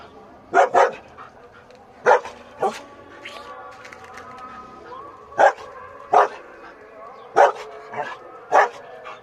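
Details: Several German Shepherds give sharp, harsh barks spaced irregularly through the recording, sometimes in quick pairs, with about eight barks in all and faint murmuring between them.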